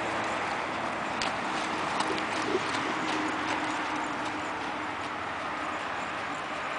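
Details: Arabian horse being worked in a figure eight, its hooves giving soft, steady clip-clop beats about 160 a minute beneath a constant broad hiss of background noise.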